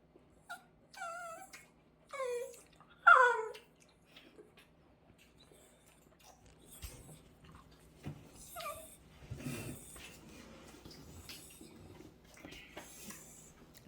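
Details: Indoor Dachshund, fussy and annoyed because its warmed food is too hot, giving a few high whimpering whines early on, then quieter murmurs with faint background music and a person speaking.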